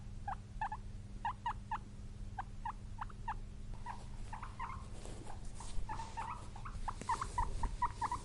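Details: Guinea pig, kept as a pet, making short squeaks in irregular clusters, some softer and slurred, mixed with rustling and handling noise in the second half and a steady low hum throughout.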